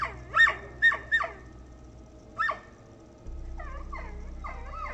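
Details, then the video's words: Owner's most protective and aggressive female dog barking at night as a bipedal figure approaches the house, sounding unlike ever before: three hoarse, sharp barks, then wavering, yelping howl-like calls over a steady low hum. "my most protective and aggressive dog is barking but she's never sounded like this before"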